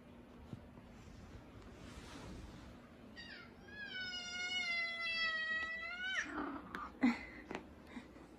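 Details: Big F2 Savannah cat, a male, meowing while being affectionate. After faint rustling, one long drawn-out meow lasts about three seconds. It is richly harmonic and holds a steady pitch, then fades into soft clicks and thumps.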